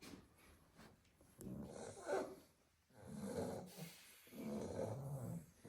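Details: Staffordshire Bull Terrier puppies sleeping in a heap in their basket after playing in the garden all day; rough, drawn-out snores rise and fall in three broad waves, with a small snort and faint clicks early on.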